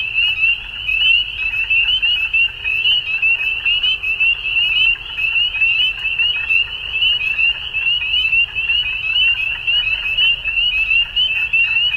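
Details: A crowded frog chorus at dusk: continuous shrill, chirping trills layered into one bright ringing tone, with loudness rising and dipping irregularly and a soft low background hum.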